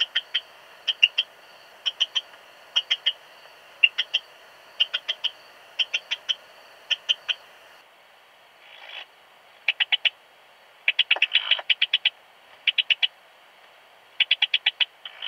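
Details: Song of an Eastern Stripe-headed Cricket in Puntigam, Austria, 10 June 2022: series of short chirps, each two or three rapid pulses, repeated about twice per second, pausing briefly before resuming with denser clusters.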